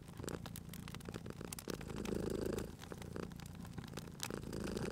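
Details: Cute cat dozing beside a crackling fireplace, purring in a continuous low rumble that swells with each breath, the longest swell lasting about half a second. Frequent dry clicks and pops from the fire are scattered across it.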